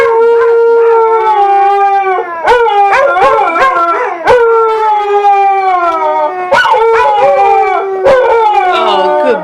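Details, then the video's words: Pair of pet dogs singing together on their owner's command: overlapping, wavering howls that rise and fall and restart every two seconds or so, with short yelping breaks and sharp clicks between phrases. "the singing dogs"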